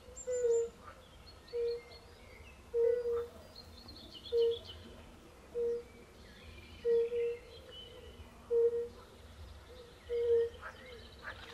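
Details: European fire-bellied toads calling at a forest pond, with pool frogs nearby: soft, mellow low hoots, some doubled, repeated about every second and a half, with faint higher chirps and croaks from other frogs behind.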